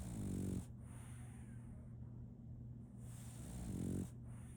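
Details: Sleeping female French Bulldog puppy Solaimy snores: two low, raspy rumbling snores, one at the start and another near the end, separated by quiet breathing and a constant low electrical-like hum.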